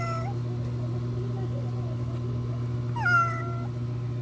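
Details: Ginger cat that runs off when someone comes near utters two meows, a brief falling one at the start and a stronger one sweeping down near the end, over a steady low hum.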